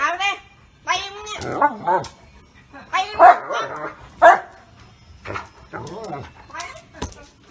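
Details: German Shepherd named Walcott barking to protect his owner from being hit: sharp, arching barks and yelps at irregular intervals, about one a second, mixed with loud human voices talking over them.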